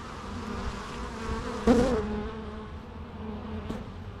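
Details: Bees in a natural setting give a continuous droning buzz; one bee passes very close midway with a sharp, loud rising-and-falling buzz before the background hum resumes.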